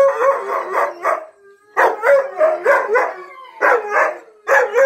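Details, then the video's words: Male Siberian husky at home, howling again after about 11 months of silence, joining in with other dogs' howls: bursts of wavering woo-woo howls broken by short pauses, with a steady tone in the background. "Husky Howling"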